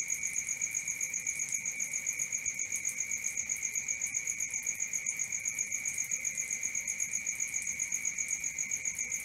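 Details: Cricket sounding at night with a sustained shrill, fast-pulsing high note and a weaker overtone above. The rhythm is regular throughout, with faint scattered ticks underneath.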